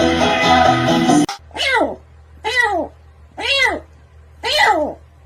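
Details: House cat meowing four times at roughly one-second intervals, each call a short, arched cry that swoops up and falls away; music plays briefly at the start, then a low steady hum remains beneath.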